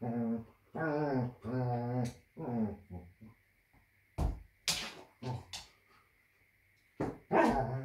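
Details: Pet dog reacting indoors as its owner pretends to faint; drawn-out, wavering whining cries fill the first three seconds, followed by sharp clicks and thumps.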